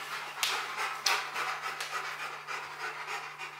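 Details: A Rottweiler pants hard while taking on a box maze challenge, giving quick airy breaths at roughly three per second, broken near the start by two sharp clattering knocks.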